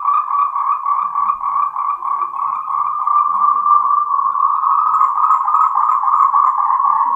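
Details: Endemic Taiwanese Moltrecht's green tree frog in mating call, close and loud: a continuous rapid chatter of pulsed croaks on one mid pitch with a faint higher overtone, steady throughout with no pauses.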